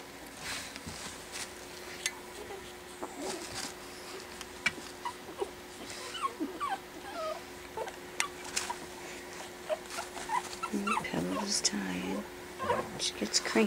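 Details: Indoors after dinner, four Pekingese puppies aged four weeks learn to play, giving wavering, high whimpers and squeaky whines in short bursts, more frequent toward the end, amid soft scuffling and patter.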